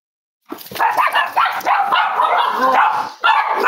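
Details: Cavalier King Charles Spaniel puppies snuggling together indoors on a warm Friday morning, raised as emotional support animals; a dense, overlapping chorus of high whines and little yips, continuous and wavering, with a brief dip near the end.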